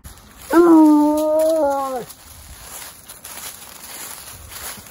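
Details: Bluetick coonhound, a rescue dog, out on a hike: one drawn-out, tonal howling whine lasting about a second and a half. It holds steady, then slides downward at the end, followed by quiet outdoor background.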